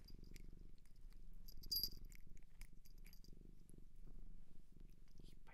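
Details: Purring from a cat taken in from a Japanese shelter, a soft, even low-pitched throb with gentle pulsing swells, a brief faint whisper and a couple of light clicks in the quiet room.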